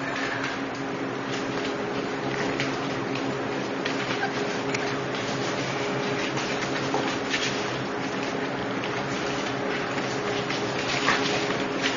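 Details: Continuous hissing, bubbling noise like flowing or boiling water fills the recording, with a faint steady hum and no animal sound.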